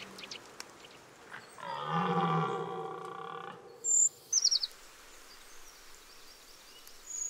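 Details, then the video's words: Red deer bellowing during the October rut: one drawn-out, hoarse, harmonic roar of about two seconds, steady in pitch, preceded by faint background noise and followed by short, sharp bird notes. "CERF Brâme en Octobre"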